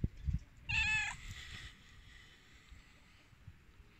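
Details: Hungry cats waiting to eat: a person calls with a psst, then one bright, slightly falling meow lasting under half a second, followed by quiet rustling and handling noises.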